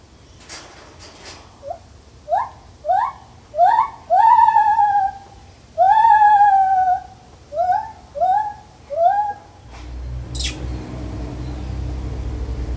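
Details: Lar gibbon in a zoo, calling indoors: a rising series of hooting whoops, each sliding up in pitch, getting longer and louder toward the middle, then shorter notes, ending with a sharp noise and low rumble.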